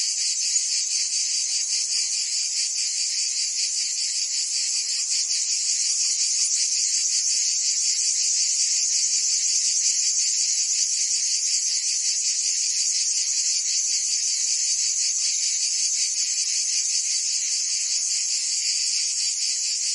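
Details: Provence cicadas in summer, France, a constant high sizzling drone with finely pulsed texture holding a level volume throughout, quiet otherwise, no birds or people audible.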